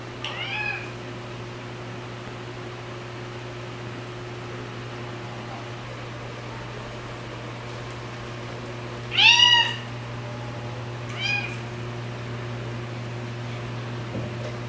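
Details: Rescued white female cat with orange markings on head and tail gives three short, rising-then-falling meows, near the start, around nine seconds and a softer one at eleven seconds, over a steady low electrical hum and long quiet gaps.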